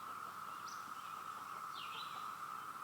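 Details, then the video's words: A continuous, even buzzing drone from many cicadas, described as sounding like a waterfall, holding at one pitch, with two brief high bird chirps, one a swooping whistle, over it. "Cicada sound"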